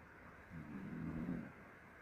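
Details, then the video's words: Jjanga, a mixed-breed pet dog, snoring: one low, rumbling snore of about a second, rising and fading over a quiet background. "짱아 코골이 집중하세요"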